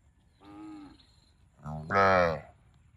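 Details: Cow calls: a softer short moo, then after a pause a louder harsh moo rising in intensity, with faint low background noise.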